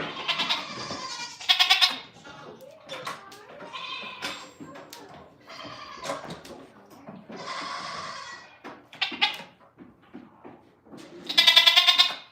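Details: Domestic goats on a farm bleating in loud, nasal, wavering cries. One comes near the start, another around 1.5 s, a long one near 7 s and a final loud bleat near 11.5 s, with quieter murmurs and a person talking between them.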